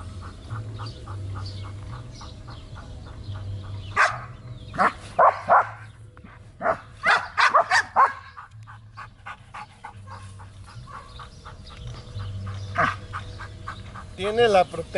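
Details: Trueno, a Belgian Malinois in guard and protection training in Zumpango, State of Mexico, gives a cluster of loud barks midway, with fainter rapid barking in the background and a man's voice at the close.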